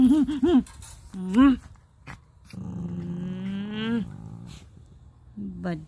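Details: Toy Poodle puppy at four months old making short wavering growly vocalisations, then a longer rising, strained whine that ends with a drop, then a brief final whimper; room hum in the background.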